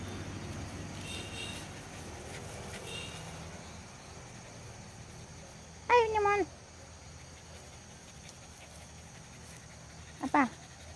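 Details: Dog gives two short, tonal whines a few seconds apart, each bending downward in pitch, set against quiet background hum and faint earlier rustling.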